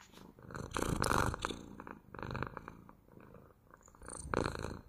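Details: Domestic cat purring, ASMR: three strong rumbling swells about one and a half seconds apart, each a buzzy throaty vibration fading between breaths.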